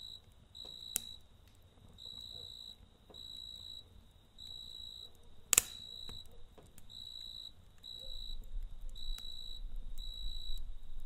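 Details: Crickets at night beside a campfire: high, thin, steady trills arrive in short bursts roughly once a second, while the fire crackles and gives an occasional sharp pop over a low rumble.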